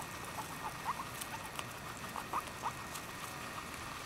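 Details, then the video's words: Five pet guinea pigs munch freshly picked grass and timothy hay, a black and white Abyssinian doing the squeaking; short faint chirpy squeaks at about 0.9, 2.4 and 2.7 seconds over steady crunchy chewing and rustling. "Guinea pigs squeaking and eating fresh grass and timothy hay"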